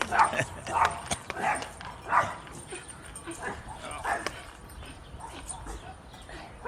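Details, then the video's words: During a walk, puppies bark at someone passing in the street: about four loud, abrupt yaps in the first seconds, then fainter barking with talking and outdoor background. "Puppies barking at someone walking down the street."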